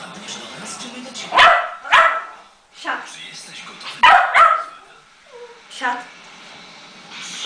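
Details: Yorkshire terrier during training practice, letting out sharp, high barks in pairs with short yips between, while a person talks to the dog.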